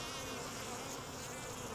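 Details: Honey bees from a wild swarm being caught off a tree branch: a loud, rough, hissing buzz spread across low and high tones, steady and unbroken, denser and harsher than a simple hum.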